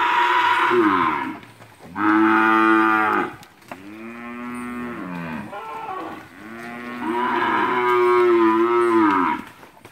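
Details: Heifers and cows in a herd at Capira, August 2016, give repeated long, loud, rich moos, four drawn-out bellows overlapping in close succession with barely a pause between them.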